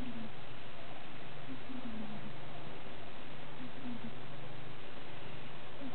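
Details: Newborn Siberian cat kittens, five days old, of the Caleana litter in 2012, utter several faint, quavering mews in short clusters, with a low steady hum running beneath.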